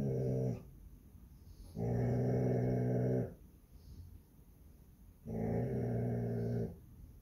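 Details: Basset Hound guarding her home on Palm Sunday: three deep, harmonic growls, each lasting one to one and a half seconds, with short quiet pauses between them.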